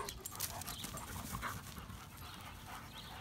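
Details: Short burst of close, hoarse dog panting, fast breathy pulses filling the moment before it fades down.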